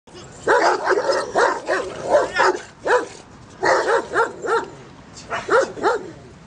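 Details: Aggressive dogs barking loudly in rapid bursts of several sharp barks, pausing briefly between bursts, with no other clear sounds.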